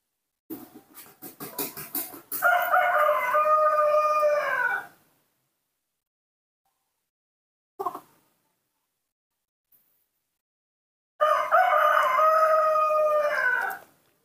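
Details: Hand-raised newborn monkey begging for milk: a run of rapid clicking sounds leads into a long, steady, tonal wail of about two and a half seconds, then silence, a brief tap, and a second equally long wail.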